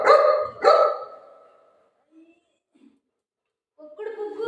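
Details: Pet Golden Retriever giving two loud, rich barks in quick succession, then a fading tail and a few faint sounds, with a voice and a higher whine at the end.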